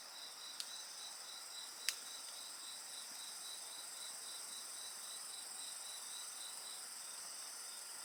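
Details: Chorus of insects by a bonfire, continuous shrill tones and quick repeating chirps, with two distinct fire pops early on and otherwise unbroken singing.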